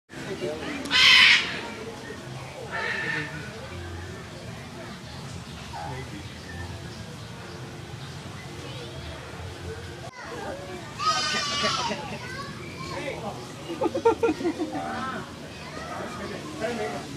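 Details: Curious meerkats up close at the San Diego Zoo let out a loud shrill chirp, then later a run of squeaky harmonic calls and a quick pulsed chatter, while a person talks over much of the recording.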